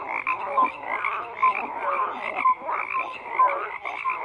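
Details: Crowded frog chorus with overlapping croaks, buzzy pulses and a few clear short tonal notes repeating about once a second over a constant background of calling.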